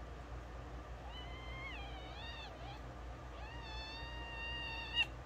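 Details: Kittens at play, with two long drawn-out meows, the first wavering and falling, the second rising and then held level, over a steady low hum.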